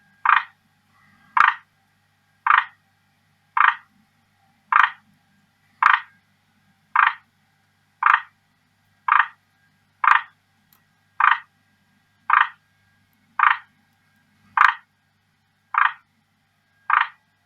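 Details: Pet male forest green tree frog advertising to a female, delivering a steady series of sixteen short harsh croaks, each a brief rattling burst, repeated about once per second over quiet room background.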